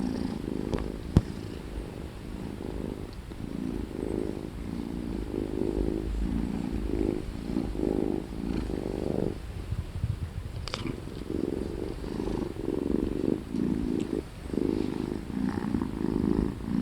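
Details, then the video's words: Sleepy house cat yawning while a low, even purr rolls on in pulsing waves, briefly pausing near the middle, with a single faint click early on. "Yawning Kitty Cat"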